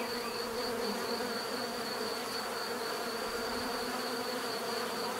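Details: Bees giving a steady, dense natural buzz, a continuous droning hum with layered low tones and a thin high whine held throughout, no other clear sounds.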